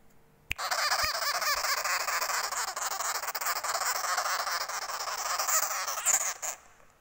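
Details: An angry baby sugar glider gives a steady, harsh buzzing chatter for about six seconds, pulsing rapidly and evenly throughout, with a sharp click near the start and a little background music.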